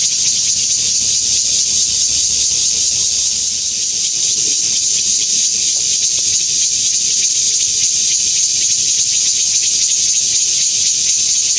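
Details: A Taiwan bear cicada (Cryptotympana takasagona) sings in bright sunshine at Xinshan Reservoir, Keelung, on 26 August 2021: a loud, unbroken, high-pitched buzz that pulses rapidly throughout.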